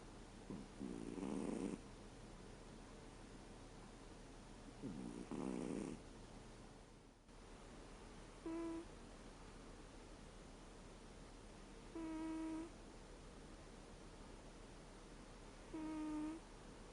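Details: Reo, a 13-year-old American Shorthair asleep, snores: two rough, breathy snores, then the sound shifts to three short, clear, whistling puffs with a nasal tone, spaced about three to four seconds apart, over quiet room hiss.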